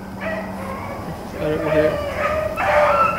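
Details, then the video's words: Pack of Blackcreek and Bluetick rabbit hounds on the trail, April 4, 2013: drawn-out bawling bays rise and fall, with a man talking quietly over the middle of the chase. "Blackcreeks and Blueticks April 4, 2013"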